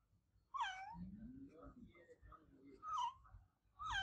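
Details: Adopted house cat giving loud, harmonic meows, one at the start, one midway and another at the end, each rising then falling, with a low murmuring voice filling the gaps between calls.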